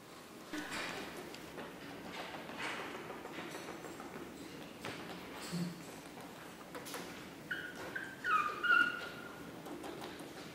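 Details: Chihuahua puppies, 9 April 2016, in a quiet indoor setting: low room hiss and faint shuffling, then near the end a thin, high whimpering whine that wavers and drops in pitch, repeated briefly.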